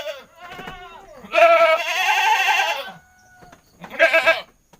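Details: Noisy, talkative goat: a long, strained, wavering bleat lasting about a second and a half, then a shorter quavering bleat after a pause, with fainter bleating at the start.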